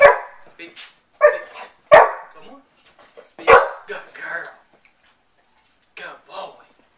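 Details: Pet dogs at home barking in short, sharp bursts on the command "speak", roughly four barks spread over seven seconds, while a person repeatedly says "speak" between them.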